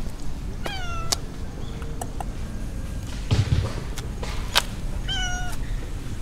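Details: A stray mackerel tabby cat out on a walk in a park in the middle of a city gives two harmonic meows, one short, then one drawn-out and falling, several seconds apart, with scattered clicks and a low background rumble.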